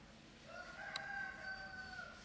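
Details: A kitten with its stray mother cat near a house at night: one thin, drawn-out high mew lasting over a second, faint against steady background hiss.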